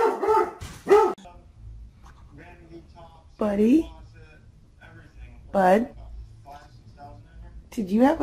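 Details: A pet dog, possibly dreaming, gives short rising-and-falling whining yelps spaced a couple of seconds apart, while people laugh and talk to it between the calls.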